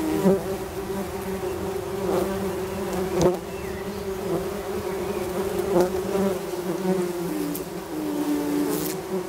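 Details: Tree bumblebee colony humming inside its nest, Bombus hypnorum with young queens present; continuous low droning buzz with slight wavering pitch and a few soft knocks and clicks.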